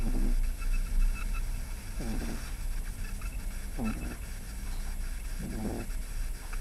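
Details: Pug puppy, 11 weeks old, snoring while asleep: soft low rasping breaths with a few nasal snorts spaced about every one and a half to two seconds, over a steady low hum.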